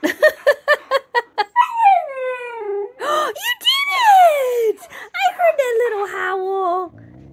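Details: A female Siberian Husky puppy, coaxed by a person singing to teach her to howl, gives quick yips, then thin, wavering howls that rise and slide downward.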